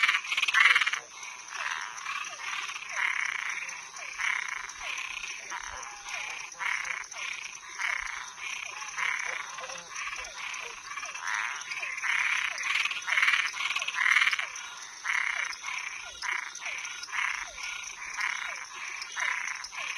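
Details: Nocturnal frogs and tree frogs calling together, loud grating croaks in rapid succession mixed with brief dropping chirps, the chorus swelling at the start and near the middle, steady high hum beneath.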